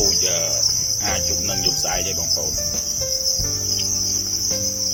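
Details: Red cricket, a red type of cricket, sounding a steady high-pitched continuous trill, accompanied by short rising and falling tonal sounds and a low background drone.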